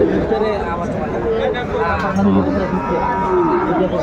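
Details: Cattle market where a Gazipur farmer buys Sahiwal bull calves, 28 December 2024: a brief series of short, mid-pitched moos and one longer gliding call, set against steady chatter from the crowd.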